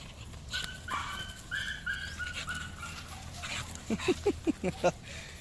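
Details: American Bully named El Coco Melon of Kagawad Kennels, outdoors during a walk-and-sprint exercise session; thin high whines drawn out over the first seconds, then a quick run of five or six short, sharp yips near the end.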